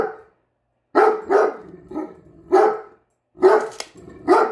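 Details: Great Dane barking indoors at a measuring tape it dislikes: five deep, hoarse barks in irregular bursts with short silent gaps between them.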